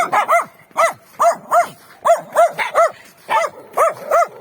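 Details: Winter street scene with free-range dogs, some behind a fence; loud, close, clear barks in quick pairs and singles, about a dozen in four seconds, each with a sharp rising-falling tone.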